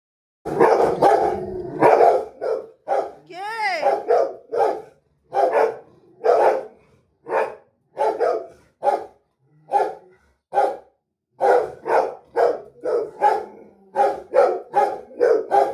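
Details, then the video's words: Rottweiler barking at a street dog: loud, harsh barks in irregular bursts through the whole stretch, sometimes single, sometimes in quick runs of two or three, with short pauses between. A brief wavering whine-like sound comes near the start. "street dog Ko dekhkar bhok raha hai"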